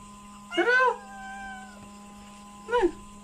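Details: Domestic cat begging for food: a drawn-out, bright, wavering meow lasting about half a second, then a shorter falling meow two seconds later, indoors with a constant low hum beneath.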